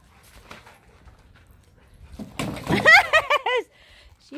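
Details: Female mastiff eager to catch a frisbee during a group keep-away game, giving about five short, high, arching whimpers in quick succession while a person talks nearby.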